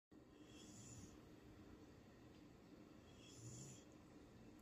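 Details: Eleven-year-old female Vizsla, an old dog, asleep and snoring: two soft, low rasping breaths roughly two and a half seconds apart over a steady quiet room hiss.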